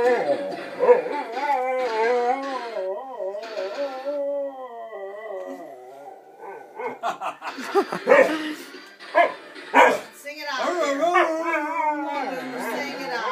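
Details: Dog singing to its owner's piano playing: sustained wobbling howls at first, then choppy short yelping bursts, ending in a long smooth howl, with piano-like tones faintly underneath.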